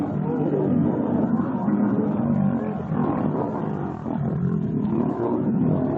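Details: Lions fighting at close range, recorded from a vehicle about five metres away: dense, rough, continuous growling and roaring snarls with a deep rumble underneath, barely pausing over six seconds.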